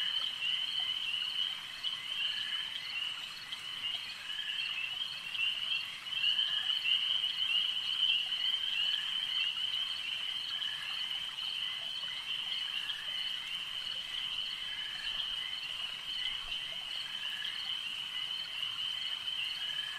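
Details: Evening-style chorus of frogs at a lake: overlapping shrill trills form a constant high band of sound, slightly louder around the middle, with no birds or voices audible.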